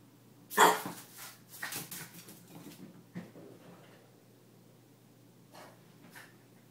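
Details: French Bulldog complaining about the mop as the floor is cleaned indoors: one sharp, loud yelping bark followed by trailing muttered grumbles and a couple of faint late yips.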